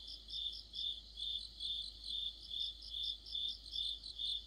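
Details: Crickets singing in a deep-autumn chorus with other insects, a rhythmic chirping beat of about seven pulses across a few seconds over higher, fainter insect trills.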